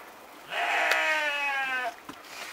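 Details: Romanov sheep bleating while its hooves are trimmed, spring 2019, Tver Oblast, Russia, in a mostly stall-housed flock: a single strong, trembling bleat of about a second and a half, followed by a soft click.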